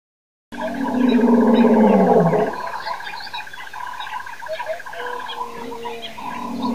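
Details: Lions roaring at Nkorho Pan on 26 September 2008 at 6:35 am; one loud, deep moaning call that slides downward in pitch over about two seconds, then quieter rumbling with a steady thin whine.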